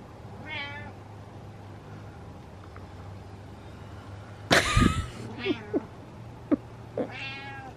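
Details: Domestic cat making several short, wavering meows spread through the recording, with a sharp clatter midway and a low background hum between calls.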